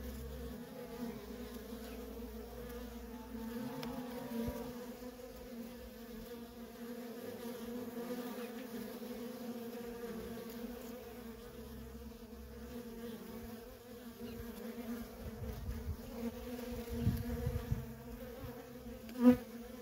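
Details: Worker honey bees in nonstop traffic at a feral colony, a steady droning buzz with bands near 250 and 500 in pitch, continuous throughout, a brief louder knock near the end.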